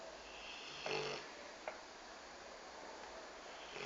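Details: Pet Rottweiler napping indoors: one soft, harsh snore lasting about a third of a second, then a faint click and quiet hiss.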